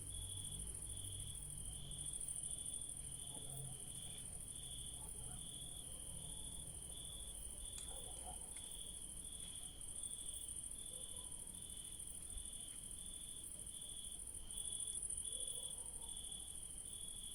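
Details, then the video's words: Crickets chirping in a night garden where yellow daisies bloom, a constant shrill two-toned trilling chorus that never pauses, with faint scattered mid-pitched sounds and a low rumble in the background. "The sounds of crickets in a night garden where daisies bloom"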